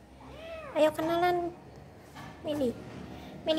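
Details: Domestic cats meeting for the first time, one named Milly. A long harmonic meow swells and falls near the first second, a shorter bent meow follows at about two and a half seconds, and a brief cry closes, amid Indonesian chatter.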